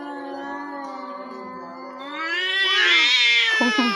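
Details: Domestic cats quarrelling with outside cats that come and beat the household cats; low steady moan swelling into a loud, rising, strained yowl, ending in short broken cries, with faint background music.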